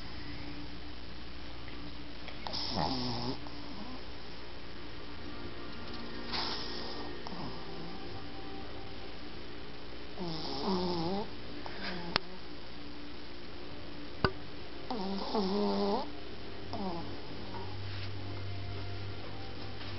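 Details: Asleep in its owner's arms, the Shih Tzu puppy Toff gives raspy, whistling snores with wavering tone, five breaths roughly every three to four seconds, with two sharp clicks and a low steady hum in the room.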